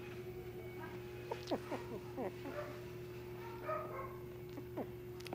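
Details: Shiba Inu puppy at a pet shop in Nara, Japan, giving a few short, thin whines that slide downward, scattered over several seconds above a constant electrical hum.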